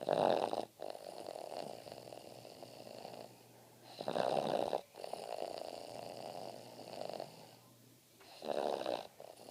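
A Boston Terrier snores in slow, rasping breaths, each inhale a loud rattling rumble.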